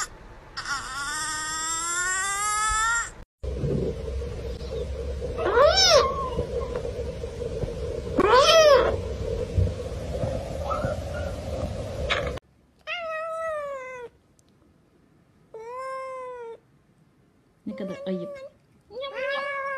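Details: Domestic cat meowing, a series of about seven drawn-out, wavering meows spaced unevenly, some rising then falling in pitch; a steady low hum sits under the first half, then near silence between later meows.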